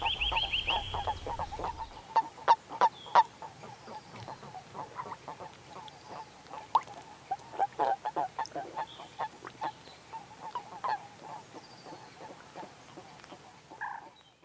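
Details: Common toads during mating in winter at the edge of a pond in the Limousin countryside, France, on 11 March 2013. Short croaking pulses at a steady mid pitch, repeated rapidly and overlapping, with sharper clicks mixed in and a brief higher tone at the start.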